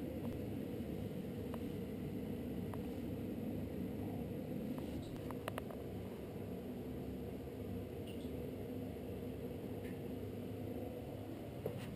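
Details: Steady low hum of a small indoor room with a running fan or engine-like drone, a few faint clicks and taps, no animal voice heard.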